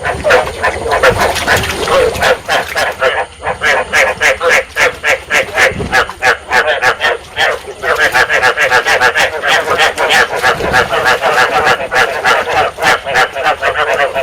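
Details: Rice field frogs calling in a dense breeding chorus, a sound used to lure frogs into traps in Vietnam; many overlapping croaking pulses repeat rapidly and continuously, with no break in the calling.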